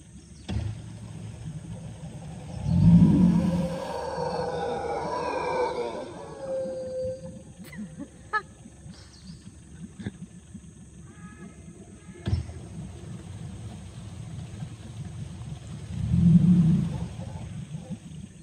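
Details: Mantled howler monkeys (Alouatta palliata) in the rainforest of Tortuguero National Park, Costa Rica, give deep, rumbling roars that swell and fade, with a long gap between bursts.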